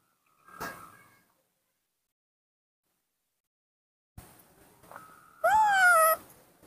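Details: Angry baby monkey, a young female raised indoors by a person, protesting a hug: a short flat whine, then a loud, strained, wavering cry lasting under a second, with a sharp knock earlier.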